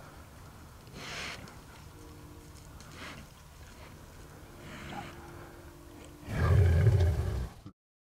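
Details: Large sow, described as angry and not happy, growling at night during a hunt near cows: a loud, deep, rough growl bursts near the end after quieter low rumbles and faint scattered sounds in a rural night setting.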